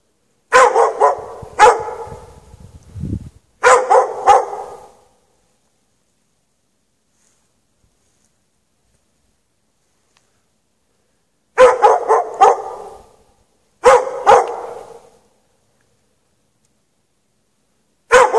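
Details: Dog barking while chained outside in snow with no shelter, at night between 8 and 11:30 PM on 3 March 2014; quick clusters of two or three barks separated by long silent gaps, one more bark at the very end.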